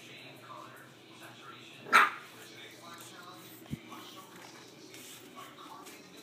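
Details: A 7-week-old Boston Terrier puppy playing with its father gives a single sharp, high yelp against a quiet indoor background.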